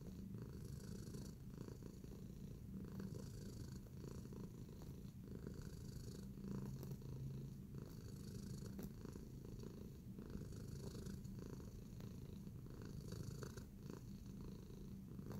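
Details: Relaxed kneading cat named Tacy purring continuously for about fifteen seconds, a low throbbing rumble that barely changes in loudness, with gentle rustles and faint higher hums now and then.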